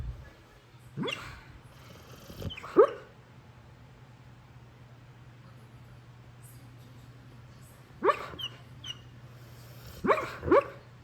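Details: Pit bull talking in its sleep, a large dog at home: short whimpering, yelping vocal bursts in pairs, near one and two and a half seconds, then again around eight and ten seconds, over a steady low hum.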